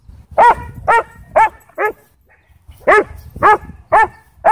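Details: Aggressive barking at a dog park from a sheriff's K-9 Belgian Malinois in a Texas county that tries to attack someone. Four loud, rough barks come about half a second apart, then a short gap, then four more.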